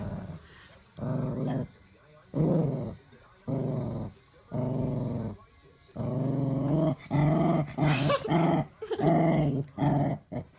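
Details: Daisy the dog guards her bone from a child trying to take it, producing repeated low growls in bursts of about a second, becoming more rapid and intense toward the end, with a child's voice breaking in.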